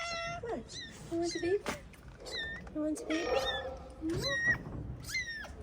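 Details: Stray calico mother cat in Morocco, recently given birth to four kittens, meowing repeatedly: a string of short, bright, downward-sliding meows, some longer and wavering, with a person talking softly between them.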